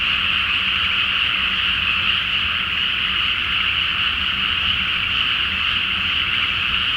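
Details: Nighttime chorus of frogs from a water-filled rice field before planting, full moon overhead, Japan; an even, dense wall of rapid croaking with no pauses and a low background hum.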